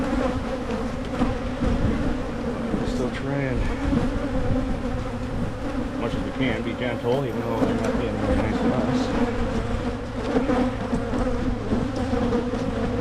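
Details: Honey bees humming at hives in Michigan while the beekeeper makes splits to head off swarming; a dense, steady low drone with a faint human voice drifting in at times.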